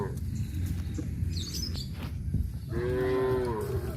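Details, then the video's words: Tame village cows driven toward pasture; after a noisy stretch of shuffling and faint chirps, one steady, drawn-out moo holds level for about a second before the end. "Video of herding tame cows towards a grazing field - Sound of cows"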